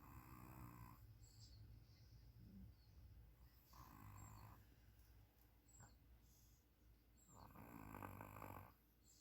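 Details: A puppy snores in three soft, breathy pulls spaced roughly three to four seconds apart, each carrying a low vibrating rattle. The room is otherwise still apart from faint hiss.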